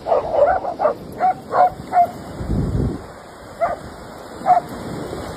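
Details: German Shepherd at play, urged on by a person; short high yips and barks in a quick series of about eight, the last ones spaced farther apart, with a low rumble midway.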